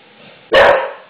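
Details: A male English Bulldog, afraid of and angry at a newly laid floor, barks at it: one sudden, rough, mid-pitched bark that trails off within a fraction of a second, over a low steady room hum.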